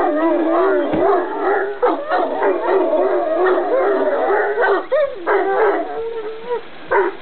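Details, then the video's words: Irish Wolfhound greeting with long, undulating howls that waver rapidly in pitch, broken by short yelping accents and brief pauses over about seven seconds. "Irish Wolfhound Greeting"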